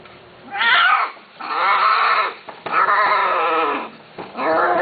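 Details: Cats offered on an Arabic pet forum. Three loud, drawn-out meows, each about a second long, rich in harmonics and falling slightly in pitch, separated by short pauses with faint rustling.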